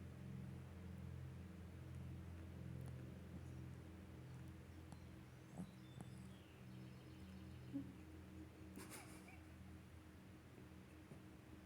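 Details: A sleeping Shih-poo bitch snoring: a low, steady rumbling drone with regular breathing pulses, a few faint clicks and a brief higher rustle near the end.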